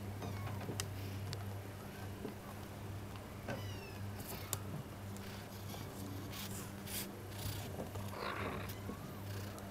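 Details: Mugi, a 45-day-old Munchkin kitten, gives a few thin, high meows with faint upward-curving tones early on and near the middle, over a steady low hum and scattered clicks and rustles.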